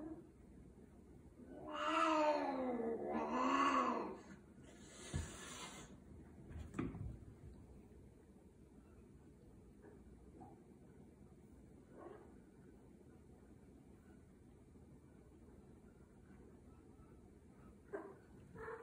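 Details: Scottish Fold cats in Virginia during mating: two long, loud, wavering yowls rise and fall back to back, followed by a sharp thump and then near quiet with faint rustling.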